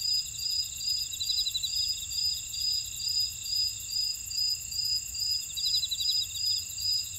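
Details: Chorus of field insects from a buckwheat field in Ora-dong, Jeju, South Korea; rhythmic high chirps pulse roughly twice per second above a constant shrill drone, a short rattling trill joining near the end.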